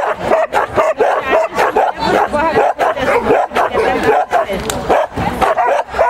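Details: Angus, a dog competing in the final run of the International All Breeds Cup 2012 agility event, his fifth run that day, barks in rapid bursts of about one bark per second, with people talking and crowd babble behind.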